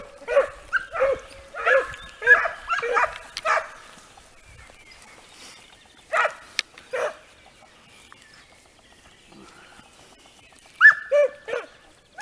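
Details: Italian Segugio hounds on a hare during training, bursts of overlapping high ringing bays and yelps at the start, then quieter gaps with scattered single bays before a final short burst; outdoor countryside air.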